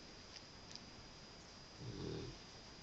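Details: A male Cavalier King Charles Spaniel, awake, gives a single low, raspy snore over a quiet indoor hiss; he often snores loudly enough to wake himself, and his owner suspects sleep apnea.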